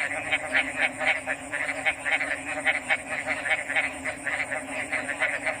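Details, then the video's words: Frogs in full chorus, many rapid clicking croaks tumbling over one another at a fast, uneven pace, with a constant high-pitched hum running underneath. "RELAXING ORIGINAL FROG'S SOUNDS"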